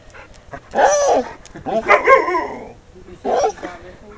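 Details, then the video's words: Vocal husky/wolf mix pet named Emily, a female runt who bore seven pups, talking: three whiny, yodelling bursts, the middle one longest with rising and falling pitch, separated by brief pauses. "Emily the talking dog/wolf"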